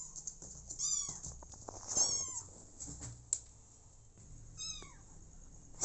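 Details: High, drawn-out meows curve downward in pitch and repeat about once a second, then again after a pause. Four motherless kittens and their adopted mother cat share the setting. Light patter and rustling underneath.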